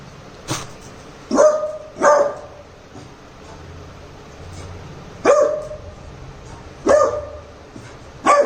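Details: Pet Labrador Retriever puppy Cherry, Jaipur, reacting to a prank meant to test protectiveness: short barks in pairs and singles, spaced by pauses of one to three seconds, against light background hiss.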